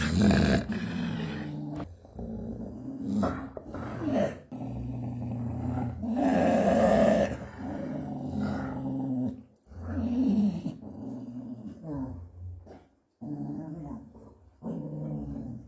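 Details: Dog growling in long low rumbles interrupted by harsher snarls and short gaps, fading toward the end with a few broken grumbles.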